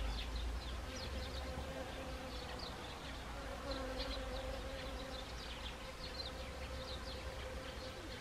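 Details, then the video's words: Autumn honeybees among Siberian chrysanthemum flowers, Gangwon Province, Korea, early October 2020; a faint, even buzzing drone with soft wavering pitch, partly buried under steady low background rumble and scattered high ticks. "가을, 구절초와 꿀벌들의 이야기(Autumn. The Story of Siberian chrysanthemum and Honeybees)"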